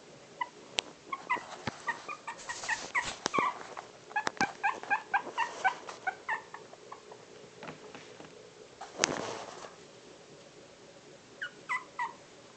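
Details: Four-week-old Pomeranian puppies squeaking and whimpering in quick high-pitched bursts, many short yips overlapping, with scattered clicks and a louder rustle in the middle.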